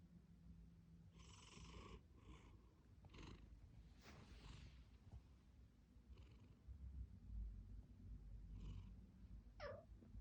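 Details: Snoring from a domestic cat with rhinitis, heard indoors: airy, wheezy breath bursts repeat at uneven intervals over a deep rumbling drone, with a short falling squeak near the end.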